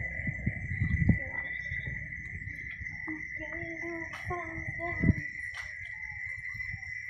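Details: Cicadas (chicharras) give a steady, unbroken high whine that holds one pitch throughout, while people talk nearby and a few soft knocks and thumps sound beneath.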